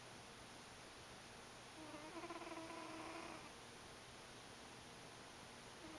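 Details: Buddy the cat asleep in a home office, giving one soft wheezy harmonic snore of about a second and a half mid-clip, over constant hiss and a thin high electronic tone.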